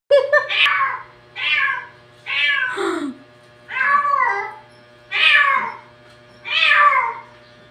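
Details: Cats said to be talking, indoors: six repeated meows roughly every one to one and a half seconds, bright and harmonic, some bending downward at the end, with a low electrical hum underneath.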